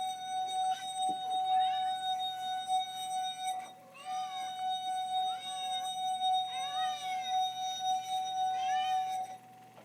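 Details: Mother cat trying to save her kittens from a loud noise, giving about five urgent, wavering meows that rise and fall, spaced a second or two apart, over a constant shrill whining tone that runs throughout.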